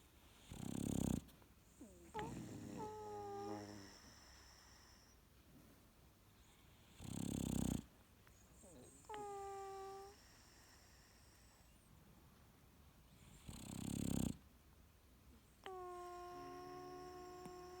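A sleeping English Bulldog snores with loud rasping snorts, each followed by a squeaky, whistling exhale.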